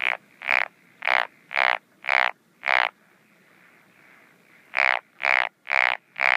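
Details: A Japanese wrinkled frog calls at night in breeding season, 17 June 2013, at a paddy or pond, giving a series of short, rasping, pulsed croaks, about two per second.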